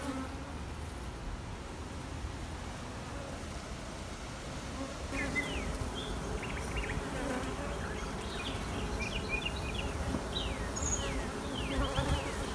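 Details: Honey bees in a queenless colony rearing queens give a steady low buzz with humming bands throughout. From about five seconds on, bright bird chirps are layered over it, several in quick succession.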